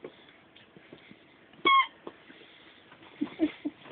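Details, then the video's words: Bichon Frise puppies aged ten weeks; a single bright, clear yelp rings out partway through, followed by soft low grunts and snuffles over a quiet background. "Ten-Week-Old Bichon Frises"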